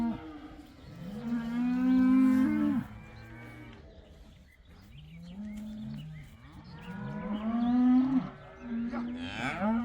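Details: About eighty cows let outside for the first time, calling excitedly: several overlapping drawn-out moos, some rising then breaking, with two loud bursts near the start and end and quieter lowing between.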